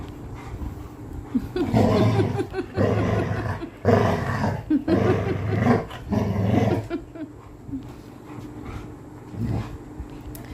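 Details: Pet Labrador retriever named Coco in playful mischief, giving low rumbling growls in repeated bursts for about seven seconds, then quieter, with a woman speaking Bengali nearby.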